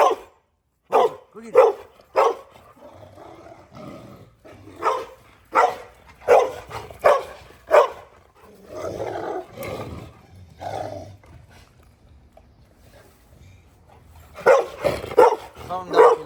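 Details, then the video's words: Angry dog facing a Dogo Argentino, barking in short loud bursts, clustered at the start, the middle and the end, with quieter grumbling and a man's voice calling the dogs between them. "Angry dog vs dogo argentino"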